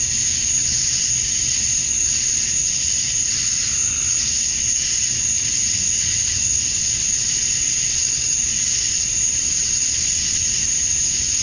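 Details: Georgia, USA, at dusk on a summer night: male cicadas chirp to draw in females, a relentless high buzzing drone with a thin steady whine above it, no pauses and no other clear sounds.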